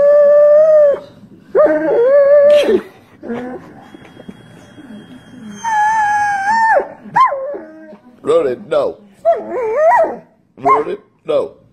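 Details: A Doberman howls in long, steady, level tones, then breaks into shorter wavering whines and yelps, with human voices talking in between.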